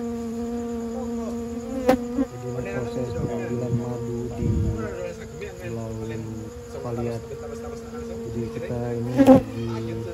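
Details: Bees humming steadily around a nest being robbed of honey at night, just after Lebaran, in an amateur harvest; an even, droning buzz holds throughout, with sharp knocks and brief human voices breaking in.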